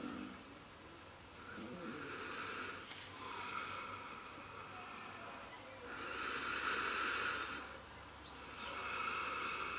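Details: A neighbour-fed Welsh red fox vixen, Mrs Fox, filmed around July 2017, produces repeated harsh breathy hisses lasting one to two seconds, separated by brief quiet pauses, in an otherwise calm outdoor setting.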